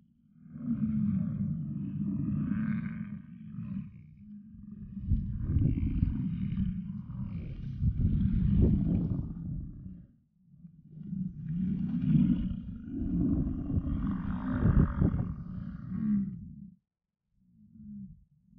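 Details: Bull American bison in rut at Yellowstone, giving long, deep, roaring bellows that swell and fade over several seconds each, with short pauses between them; the low rumbling dominates throughout.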